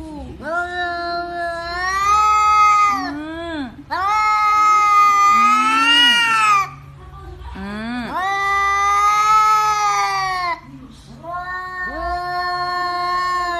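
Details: Domestic cat, angry and shouting at its owner to demand treats, indoors during Covid: four long, loud, drawn-out yowls, each rising then held steady for two to three seconds, with brief lower moans between.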